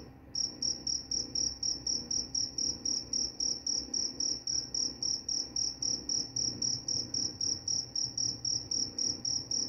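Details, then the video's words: A cricket starts after a brief pause and then gives fast, bright, high-pitched chirps, about three to four a second, in an even, ringing rhythm. "Suara jangkrik pengantar tidur dan juga mengusir tikus"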